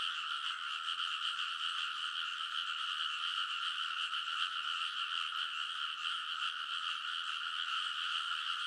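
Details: Frogs calling en masse on the ridge of a rice paddy in Konosu, Saitama, Japan, in the middle of an early-summer night, recorded on a TASCAM Portacapture X8; relentless overlapping rattling croaks form a dense, unbroken chorus.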